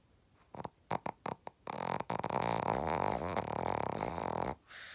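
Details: Sleeping Shih Tzu giving a few short snorting puffs, then a long rattling snore of about three seconds with wavering, harmonic-rich tone before falling quiet.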